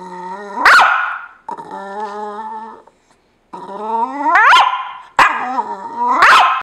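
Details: A dog grumbling because another dog is sleeping in his spot. There are drawn-out tonal groaning whines that slide upward into abrupt barks, with a brief silence midway, in a vocal, talkative complaint.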